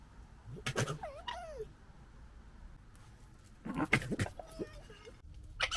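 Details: Red foxes in a 2021 squabble, gekkering and fighting: loud harsh screeches with sliding, bending whines, a quiet gap, then another rasping outburst of chattering squeals ending in a short screech.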